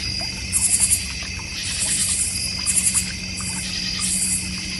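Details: North Georgia Mountains backyard crickets near a koi and goldfish pond, giving rapid pulsed chirp bursts of four or five beats over a constant high insect drone.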